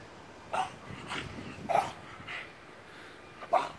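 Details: French Bulldog Bogey after a squirrel, giving three short, fairly soft barks spread over about four seconds, irregularly spaced, over a steady background hiss.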